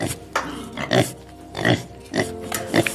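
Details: Pig (Sus scrofa domesticus), grunts.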